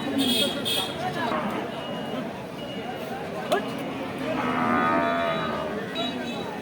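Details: Cattle at a market sale, offered cheaply: one drawn-out lowing moo with stacked harmonics rising and swelling in the later part, over steady crowd chatter, men's voices bargaining and market background noise.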